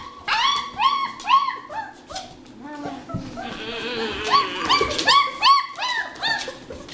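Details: German Shepherd puppies of the Tiltonhaus litter, born 27 December 2013, whimpering: rapid series of high, arched whines, several overlapping, about two or three per second, with a rougher drawn-out cry midway and faint music beneath.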